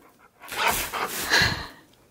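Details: Siberian husky named Key, indoors after getting revenge on balloons that had scared him, pants in a few breathy, hissing bursts over about a second, loud and noisy without any tone.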